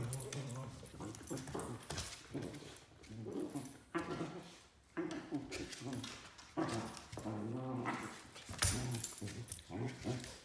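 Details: A 3-month-old Pembroke Welsh Corgi puppy growls, yips and whines in bursts while play fighting with an adult Pembroke Welsh Corgi.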